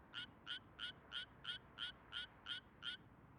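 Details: In mid-June, in a healthy rice paddy in broad daylight, an endangered Suwon treefrog sings a fast, even series of bright, metallic notes, about three per second.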